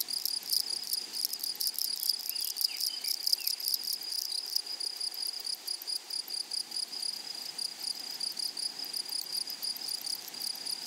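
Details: Chorus of grasshoppers in a flowering meadow: a high, even whine layered with fast crackling pulse trains, busy early and again toward the end, with soft low background rustle.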